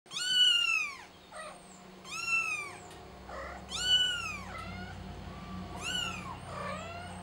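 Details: Kitten calling for its mother: four loud, high, arching mews roughly every two seconds, each bright and harmonic, rising then falling, with faint lower whimpers between and a steady low hum in the background.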